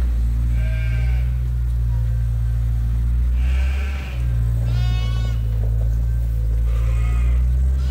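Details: Sheep and lambs at Ewetopia Farms wait for feeding time. Four separate tremulous bleats, spaced a second or two apart, one notably shaky and high, sound over a constant deep rumbling drone.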